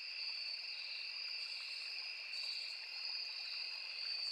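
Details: Forest insect chorus of crickets and cicadas beside a small river, a constant high-pitched ringing drone in two layered tones that never pauses, with gentle water rushing underneath.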